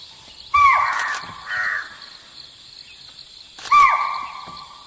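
A deer gives three high, nasal bleats, each briefly rising then sliding down in pitch.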